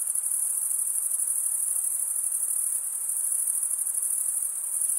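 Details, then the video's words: Massed crickets produce a bright, sustained, high ringing trill with a gently pulsing texture and steady volume, and nothing else stands out. "cricket sound"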